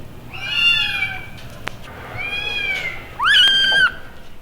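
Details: Clear, loud kitten meows from an animal pound, preserved on 1960s vinyl: three drawn-out cries, the first gently falling, the second level, the last sharply rising then held, with only a faint low hum behind.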